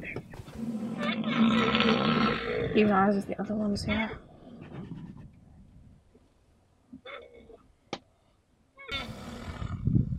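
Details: Angry rhinoceros charging at Kruger National Park, South Africa, during a rhino-versus-rhino and vehicle encounter: loud, harsh roaring bellows in the first four seconds, then quieter snorts and a final burst, with music and an excited man speaking.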